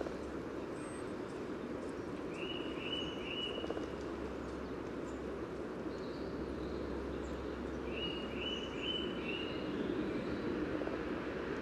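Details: Courting common frogs at their spawning pool by the yellow path, Sunnersta, Uppsala, Sweden, taken through a Telinga parabola onto an Olympus LS14: continuous, grainy low grumbling chorus, with two bursts of quick chirping birdsong above.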